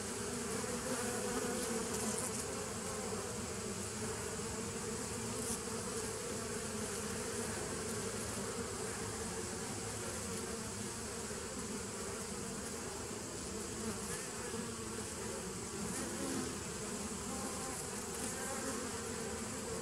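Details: Honey bees recorded on 27 September 2018, a dense, steady hive buzz filling the whole clip, with a low droning hum and broad hiss, no pauses or other clear sounds.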